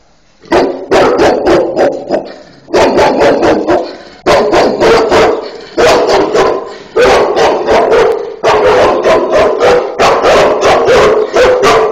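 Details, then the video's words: Two Cane Corso dogs bark loudly in rapid bursts of deep, harsh barks, several barks per burst separated by short pauses, the recording close and saturated. "2 stupid dogs ,cane corso"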